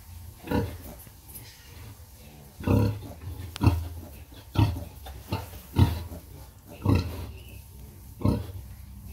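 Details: Sow nursing her piglets, giving low rhythmic grunts spaced about one second apart, each short and deep, with quieter squeaky piglet sounds faintly between them.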